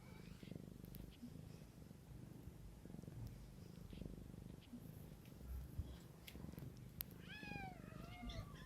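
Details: A cat caring for her young gives a continuous low, pulsing purr for most of the recording, ending with a clear, quavering kitten mew near the end.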